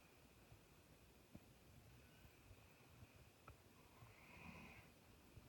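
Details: Doberman asleep indoors, snoring like a grown man: quiet low, rasping inhalations with a breathy swell near the end, a few soft clicks, and a faint constant hum.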